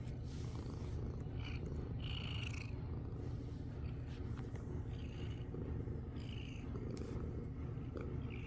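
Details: Continuous low, rhythmic purring from a domestic cat being pampered and head bonking, the deep vibrating rumble unbroken for the whole stretch, overlaid with light scratchy rubbing sounds at intervals.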